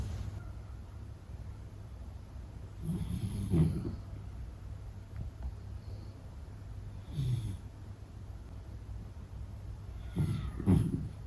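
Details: Meta the Beagle asleep, giving soft snorting breaths about every three to four seconds over a low steady background hum.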